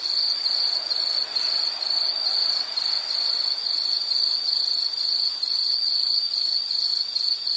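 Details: Insects chirp in fast, beaded trills, about two pulses a second standing out over a steady high drone, with soft broadband hiss beneath.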